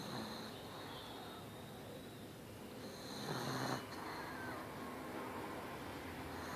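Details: Darla, a pug, snoring loudly while asleep indoors; soft rasping breaths under steady room noise, with one stronger snort-like exhalation near the middle.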